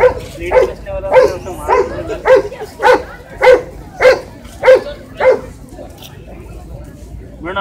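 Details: Small Shih Tzu dog barking in a quick regular series, about nine short yapping barks spaced around half a second apart, then falling quiet, with faint background rumble.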